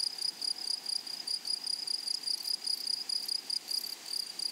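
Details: In a flowery prairie meadow, grasshoppers produce a shrill, evenly pulsed high chirping in quick rhythmic bursts over a quiet hiss of open countryside.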